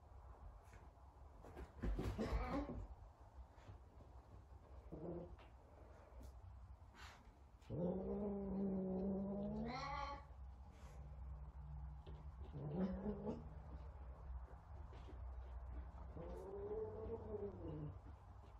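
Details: Sabian, a very talkative Savannah cat, calling while trying to find another cat, Sabina: several drawn-out, low harmonic meows, the longest nearly three seconds and rising at its end, spaced a few seconds apart over a steady low background hum.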